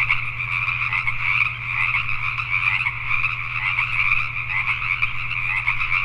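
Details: Pacific tree frogs calling at night in Richmond, British Columbia, Canada: a dense, unbroken chorus of many overlapping raspy croaks in two bright bands. A steady low hum runs beneath.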